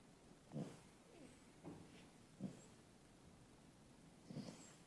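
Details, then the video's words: Snoring from Sid, a young beagle resting after a light 4k walk: four short, raspy snorts about a second apart, low and breathy, in an otherwise still setting. "Beagle Sid. Snoring after a long walk."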